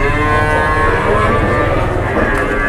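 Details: Cattle at a cattle market giving a steady, deep, sustained moo with a rich harmonic drone lasting almost three seconds, market noise and faint voices behind.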